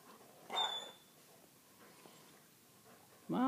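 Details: Several Weimaraner dogs circling their owner because they want to be fed: a short yelp near the start, quiet shuffling, then a rising harmonic whine at the end.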